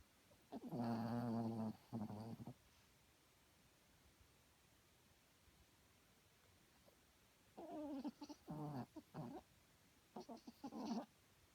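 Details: A small sleeping dog snoring loudly at night: three rough, harmonic-rich rasping bursts, each one to two seconds long, separated by quiet pauses, with no other sounds.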